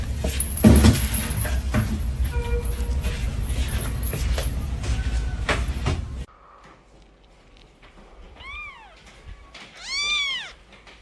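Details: Pet cat purring, with various young kittens around: a dense low rumbling purr fills the first six seconds over some background noise, then the scene turns quiet and two high, arched, wavering meows are heard.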